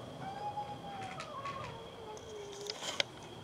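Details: Hungry domestic cats meowing and fighting over food: one gives a long, drawn-out meow that rises, then slides slowly downward. Cat.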